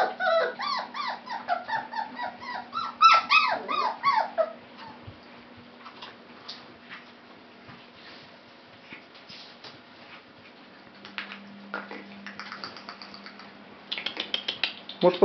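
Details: Pale fawn Labrador Retriever puppies give a quick run of high, wavering whimpers for about four seconds, then only faint scattered sounds before a few short yips at the end.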